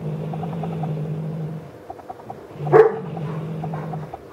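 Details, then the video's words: Eclipse, a cat playing with feathers, gives a low rumbling growl held about a second and a half, pauses briefly, then growls again, with a short louder burst in the gap. "Eclipse rosnando"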